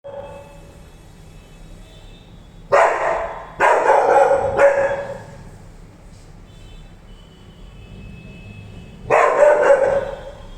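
A Rottweiler barks in loud, full-throated bursts, three in quick succession and then a single bark a few seconds later. Between the barks only faint background hum is heard.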